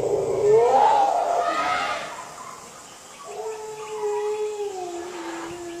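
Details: Wild Asian elephants from two meeting herds, presumed to be competing for territory, at Phu Khiao Wildlife Sanctuary reservoir, Thailand, 3 March 2019 near 17:47; a rising squeal is followed by a quieter pause, then a long, steady lower tone.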